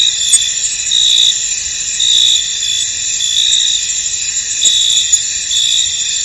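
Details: Crickets chirping in a misty field, constant shrill high trill with swelling pulses near once per second and a few faint clicks.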